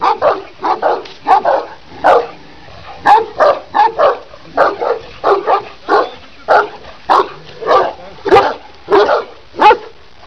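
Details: Deep, resonant barking from a big Kangal shepherd dog in Sivas, Turkey, said to stand 90 cm and weigh 90 kg: around sixteen heavy barks over ten seconds, some paired, spaced unevenly with short quiet gaps.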